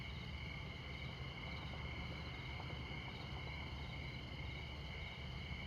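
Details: Midnight crickets in Montana near Interstate 94 keep up an unbroken, high-pitched pulsing chorus in several stacked tones. Deep road noise from passing vehicles runs underneath the whole time.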